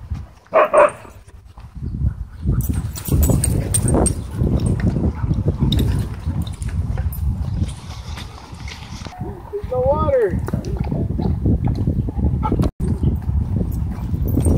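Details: Dogs, a German Shorthaired Pointer, huskies and a wolf dog, racing and wrestling in play at a dog park; steady low rumbling growls and scuffling, then one short whine that rises and falls near the end, with outdoor background noise.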